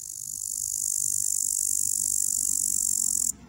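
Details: Upland green bush-cricket (Tettigonia cantans) on a twig, a steady, very high-pitched rattling stridulation of fast pulses that grows louder over the first second, holds, then cuts off sharply near the end, over low background rumble.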